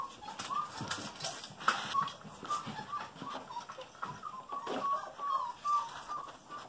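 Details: Golden Retriever puppies aged just over five weeks, littermates tussling over a toy, let out brief high whistled whimpers repeated every half second or so, amid rustling and faint household noise.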